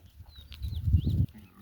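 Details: Goats on a farm, mothers kept together with their young kids, giving a short, low, wavering bleat of about half a second. Faint whistled music notes drift above it.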